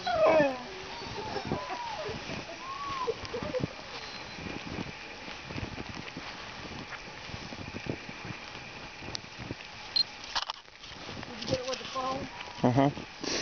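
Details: Alaskan Malamutes at a kennel in snow give short, wavering whines and yips over people talking.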